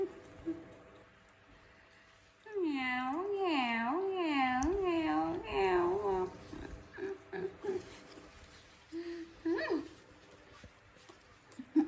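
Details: A young monkey gives a wavering, warbling whimper, pleading with its mom for milk before going to bed, with a woman's voice afterward.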